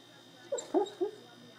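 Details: Enzo, an almost two-year-old male Rhodesian Ridgeback, dreaming in his sleep, perhaps of squirrels, gives three short muffled whimpering yelps in quick succession over about half a second; a person then murmurs softly.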